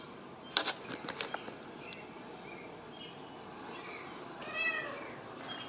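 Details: Ragdoll kittens raised indoors in a home cattery in central Kansas, kept without cages; a brief high, harmonic mew rises near the end after several sharp clicks and taps early on.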